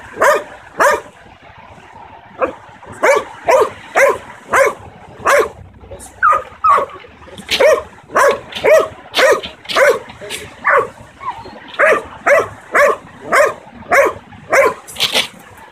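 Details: Nine-month-old Belgian Malinois in protection-oriented dog training, barking on command while locked on a target: about two dozen short, sharp barks in uneven bursts, sometimes paired, with brief quiet gaps between volleys.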